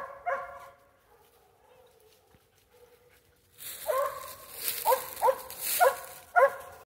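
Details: Mountain Cur mother with pups in training, as she tries to get them to tree. One early bark is followed by a quiet stretch, then a burst of four or five ringing barks over rustling movement noise.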